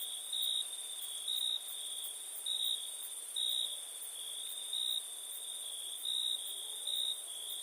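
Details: High, ringing cricket chirps on a night recording, louder pulses returning every second or so above a steady shrill drone, with very high faint ticking of further insects in the background.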